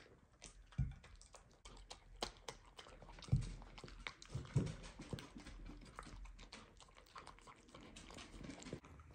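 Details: Miniature Dachshund Loulou dreaming in her sleep gives three low, muffled huffs or woofs at irregular intervals, over constant faint clicking and shuffling indoors.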